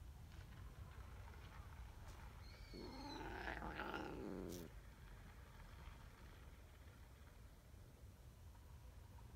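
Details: A clingy tabby community cat, jealous while a tortoiseshell cat is being petted, gives one drawn-out, wavering meow lasting about two seconds over a steady low background hum; tabby cat.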